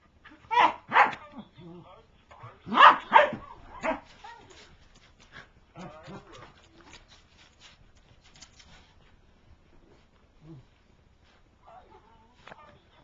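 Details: Pet corgi attacking her toy: a few loud, harsh barks in quick pairs early on, then quieter scattered yaps and grumbles, with a person talking in the background.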